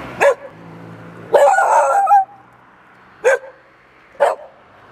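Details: Dogs barking at Bușteni, Romania, on 13 October 2021: four loud single barks spaced about a second apart, one longer and rougher, over a low background hum.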